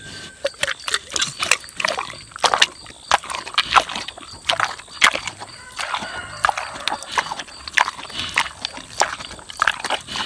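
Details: Wilbur, a six-year-old boar pig, savouring juicy tomatoes: rapid, wet smacking and squelching chews in irregular bursts, sharp clicks every fraction of a second, with no clear grunts.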